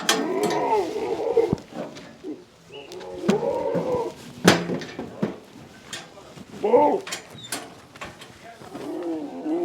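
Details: Farmed Beetal goats near Nandi Hills, Karnataka, at Green Acre farms: drawn-out, wobbling bleats, one long and two shorter, over a steady background of clatter and sharp knocks.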